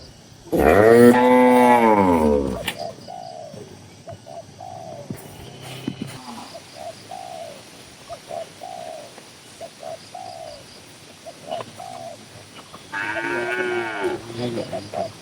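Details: Tame cows in a livestock-farm barn with dozens of animals. A loud, drawn-out moo opens, a second moo closes, and soft short coo-like notes repeat steadily in between.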